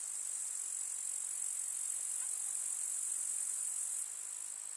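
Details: Grasshoppers in a summer meadow in the countryside, among summer wildflowers: a steady, unbroken high-pitched shimmering buzz from a dense insect chorus, dropping slightly in loudness near the end, with no other sounds.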